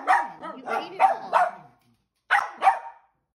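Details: Dachshund giving four quick, rough barks, falling silent for about half a second, then barking twice more, each bark short with a slight downward sweep.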